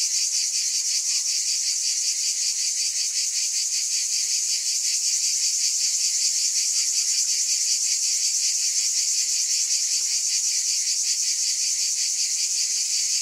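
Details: Unbroken wall of high cicada buzzing, evenly loud across the whole stretch, with a quick shimmering pulse inside the drone.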